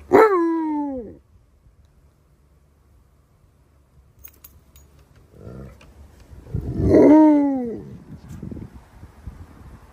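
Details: Alaskan Malamutes Tonka and Monroe complaining about their filthy green pool water: two loud harmonic howls, each about a second long and sliding downward, separated by a quiet pause with faint rustling and breath.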